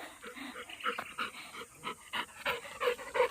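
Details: A pet Labrador Retriever at home pants rapidly in rhythmic breathy pulses, about three per second, rising and falling in loudness, with little else heard.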